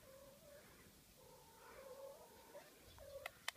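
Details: Domestic cats out in a snowy garden, meeting snow for the first time; a drawn-out, steady, moaning wail held at one pitch, broken into several long stretches, with a few sharp clicks near the end.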